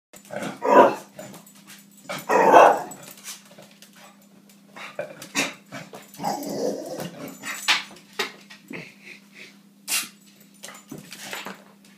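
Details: Pet dog barking at balloons indoors: two loud, harsh barks early on, then a lower rumbling growl midway, with scattered sharp clicks and knocks and a steady low hum throughout.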